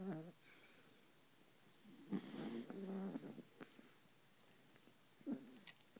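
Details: Mother and baby Beagle asleep on a pillow, snoring; uneven, soft rasping breaths with one longer grating snore near the middle and brief clicks, in a quiet room.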